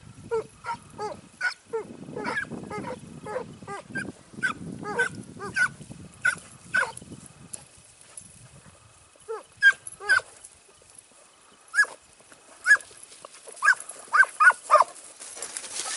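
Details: Segugio Italiano scent hound working at Sofiko, Evros, 12 September 2018, in a training outing; rapid string of sharp barks over low rustling, then slower, spaced, ringing bays toward the end.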